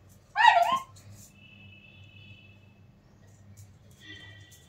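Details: Labrador named Buddy playing hide and seek at home gives one short, high, wavering whimper, followed by quiet household hum and a faint tone.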